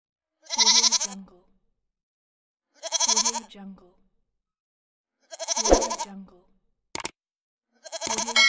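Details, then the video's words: Goat bleating in three wavering, quavering calls spaced about two seconds apart, with a sharp click near the end and a fourth bleat cut off at the close. "Goat Voices"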